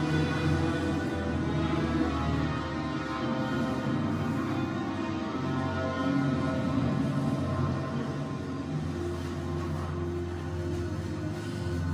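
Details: Dark, droning soundtrack music with sustained low tones plays throughout, with no animal voice.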